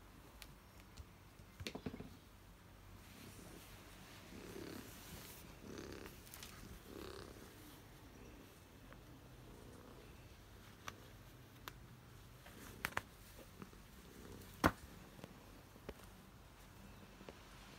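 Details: Domestic cat purring, either Coiler or his visiting tabby guest, a soft, low, steady rumble in a quiet indoor setting, broken by occasional faint clicks and small knocks.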